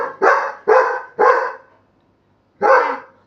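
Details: Labrador Retriever dog, indoors, urged by its owner to bark near a sleeper's face and ear to wake them; three sharp barks about half a second apart, a pause, then a fourth bark.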